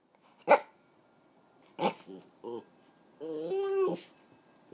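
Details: A 3-year-old female Italian Greyhound Chihuahua mix indoors gives a sharp single yip, short throaty grumbling growls, then a drawn-out, wavering whine-howl that rises and falls, with quiet gaps between.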